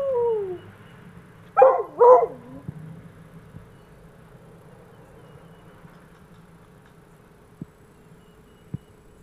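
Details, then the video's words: Coonhound Andy-Tucker, reacting to fire trucks: a falling howl tail, then two short loud yodelling howl bursts, followed by near silence with a faint steady hum and a couple of soft clicks. "Coonhound Andy-Tucker howling at the fire trucks"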